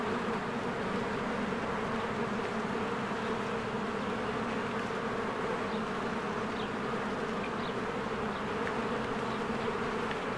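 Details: Honeybees flying in and out of their hive in spring, with flowers blooming: a steady, dense buzzing hum from the many bees, unbroken throughout, with faint short chirps of birds high above.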